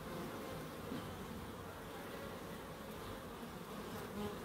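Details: Short stretch of bees humming in a small Crookes wildlife garden: an unbroken, even buzzing drone at steady loudness.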